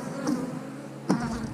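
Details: Honey bees buzzing at an open hive during an inspection of a beekeeper's 8-frame hive, without smoke. A steady low hum with layered overtones, broken by two sharp knocks of frame handling.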